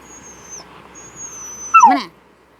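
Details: Japanese Spitz dog in a quiet room letting out one sudden falling yelp near the end, with a faint thin high tone running in the background before it.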